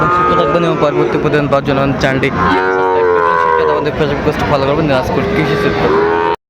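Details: Sahiwal cattle, bull calves for sale at the Aftabganj market, Dinajpur, Bangladesh, 2 September 2025; a long, full-throated moo with rich harmonics swells and carries for several seconds over a busy background of market voices.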